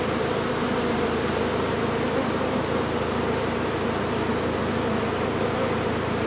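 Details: A large honey bee colony lodged inside a sealed, disused chimney during its removal: a dense, steady swarm drone fills the whole clip, with a strong hum band in the middle range over a low rumbling undertone.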